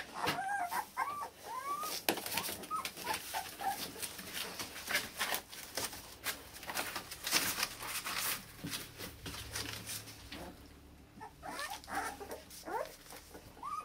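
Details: Akita puppies born 16 November, offspring of Kotono Go, a Japanese-born Akita in Hungary, awaiting new owners indoors; scattered high thin whimpers and squeaks among clattering knocks and rustling.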